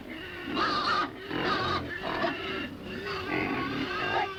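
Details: A domestic pig grunts in its pen, a run of rough, nasal bursts, each lasting about half a second.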